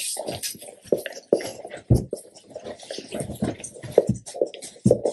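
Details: A Labrador Retriever eating a big raw chicken carcass, recorded close for ASMR: heavy, wet chomps with sharp cracking clicks and low thuds, irregular bites roughly twice a second, in a small indoor room.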